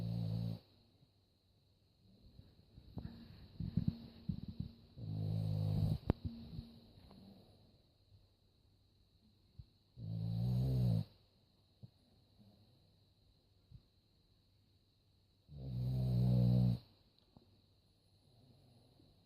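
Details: Sleeping dog snoring, deep rasping breaths with low rumbling texture arriving roughly every five seconds, the last two long and loud, with scattered soft rustles and clicks between them early on.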